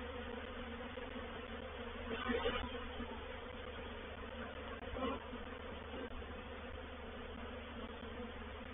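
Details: Honey bees of a reproductive swarm moving into a swarm trap at Painted Peacock Manor, 04/07/21; a constant droning buzz, rising twice in brief swells as individual bees fly nearer.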